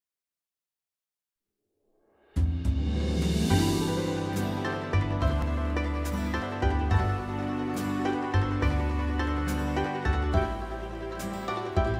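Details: Two seconds of silence, then soft ambient background music with steady low chords and light percussive accents, no animal heard.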